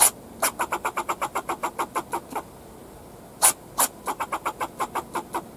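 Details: A backyard fox squirrel barks at the person filming, giving rapid, repeated chucking barks, several per second, with a few louder sharp notes.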